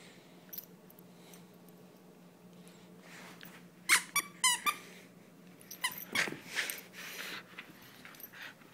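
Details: German Shepherd named Sam playing tug-of-war indoors: a cluster of short, high, harmonic squeaky whines and growly bursts near the middle, followed by scuffling, rustling play noises in a small room.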